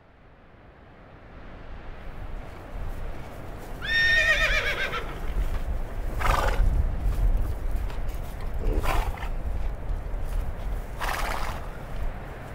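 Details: Wild horse in North American wild horse country gives a loud quavering whinny with a shaky, descending pitch, followed by several breathy broadband bursts spaced a few seconds apart over steady outdoor background rumble.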